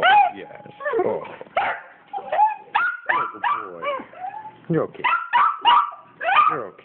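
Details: Excited homecoming greeting from pet dogs Penny and Oliver: rapid yips, upward-sliding whines and occasional barks tumble out about once a second, mixed with the owner's calming voice throughout.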